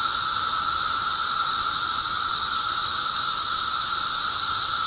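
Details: Periodical cicadas (Magicicada) during a mass emergence on May 19, 2011: a dense, unbroken droning chorus with a steady mid-pitched band and a bright hissing wash above it, constant in loudness throughout.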